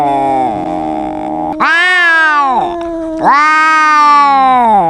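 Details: Domestic cat in a loud argument with another cat: a sustained whining tone followed by two long, strained yowling meows that swell and then droop in pitch.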